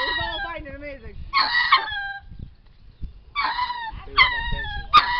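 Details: Zoo lemurs calling at random: harsh wavering cries with strong harmonics, an early falling wail followed by several short loud bursts spaced about a second apart, with quieter gaps between.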